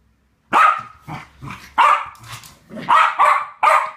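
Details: Two West Highland White Terriers playing a game together, giving sharp bright barks in a burst of about eight over three seconds, some with low growly undertones, indoors with no other clear sounds.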